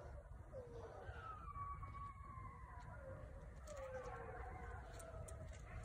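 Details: Several coyotes howl together in the dark in a suburban area, with overlapping wavering, falling wails over a steady low rumble.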